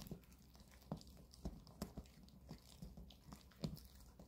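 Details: Indoors, a Maltese named Bomi and a long-haired Chihuahua named Coco gnaw on dog chews given for the weekend; soft, regular bites click about twice a second over a quiet room hum.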